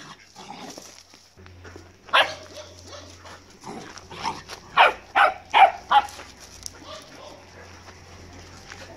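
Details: Lively Golden Retriever puppy at play, wanting to play nonstop: a quick run of about five short, sharp barks in the middle, after one earlier bark, over a low steady hum.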